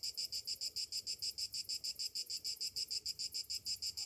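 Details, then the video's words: Cicadas on a summer morning produce a sharp, high-pitched trill of crisp, evenly spaced pulses, about five each second, with little else audible. "Morning summer cicadas sounds"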